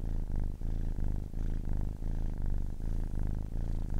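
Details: Deep vibrating purr of a kitten aged ten weeks, rising and falling in breath-length cycles about every three-quarters of a second, quiet background.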